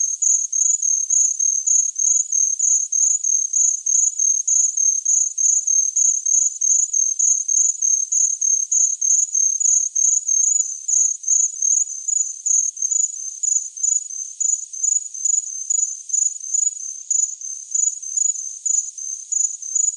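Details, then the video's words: A long, steady run of cricket chirps, a high, trilling pulse repeated rapidly and evenly, holding a constant pitch with no other sounds. "Best Cricket Sound Effect Ever Tinnitus Masking Sounds Chirping Cricket"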